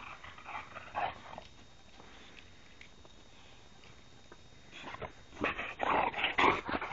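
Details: Three boxers playing wildly: a brief rough burst of growly noise near the first second, then quiet, then a dense run of harsh, scrappy play noises in the last two seconds, with a person's voice nearby.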